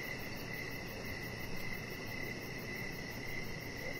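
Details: Evening cricket chorus by a deck with decoration lights and a resting chihuahua puppy. A steady shrill tone pulses softly, joined by a rapid high trill, all over dense low background rumble.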